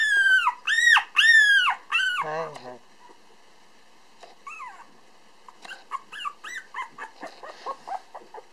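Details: Tiny black male Toy Poodle pup Pump, 431 g, at an Otsu breeder on 8 December 2012: three loud, drawn-out, arching squeals, a brief pause, then a string of short, quieter squeaks.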